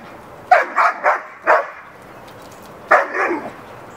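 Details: Hera, a backyard dog trying to get a neighbor's dog to play, gives four quick sharp barks, pauses about a second, then a final doubled bark.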